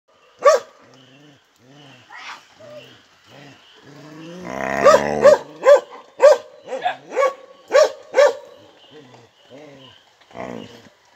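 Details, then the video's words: An angry Samoyed grumbles with a run of moaning, rising-and-falling vocal whines, breaking into a sharp harsh bark midway, then a rapid string of short yelping grumbles before trailing off into softer moans. "Barks of Fury: Exploring the Angry Sounds of a Samoyed"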